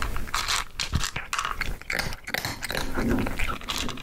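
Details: Cat eating dry food, heard close up as dense, unbroken crunching and chewing, rapid clicky bites overlapping with no pauses, steady and fairly loud throughout.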